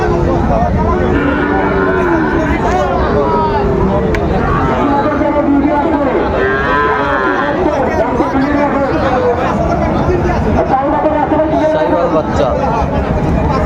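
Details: Sahiwal bull calves at the crowded Raniganj cattle market in Dinajpur, 16 September 2024: deep, drawn-out moos rise and fall among steady chatter and voices of people bargaining.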